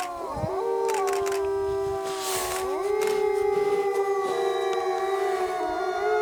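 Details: Pack of Arctic wolves howling in chorus inside a large enclosure at Omega Park in Montebello, Quebec; several long, steady, overlapping howls hold different pitches, some sliding up or down, with short noisy bursts underneath.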